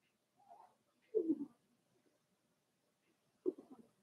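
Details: Indoor puppy pen holding four-week-old Cavalier King Charles Spaniel pups from Daisy's litter; a soft rising whine, then a louder wavering whimper, and after a pause a final short yelping cry.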